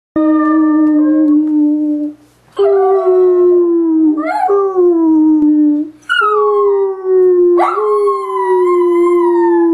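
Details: Dachshund named Polly howling, described as singing: about four long, steady, tonal howls, each opening with a quick upward slide and then holding level or sagging slightly, separated by brief breaths, with no other sounds.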